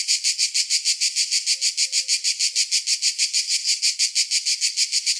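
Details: Cicada. A cicada's harsh, high buzzing comes in rapid, even pulses, roughly three per second. The rhythmic rasping carries steadily from start to finish with nothing else intruding.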